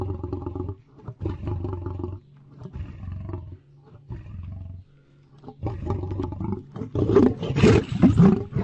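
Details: Lion roaring in a series of deep, rumbling bursts, each about a second long with short pauses between, growing louder and rougher toward the end with harsh, strained upper tones.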